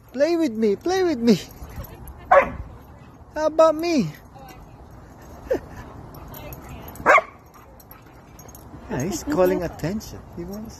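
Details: German Shepherd meeting friends at a playground, acting happy: wavering, yodel-like whines and short yips in bursts, with brief sharp barks between quieter pauses and human voices mixed in.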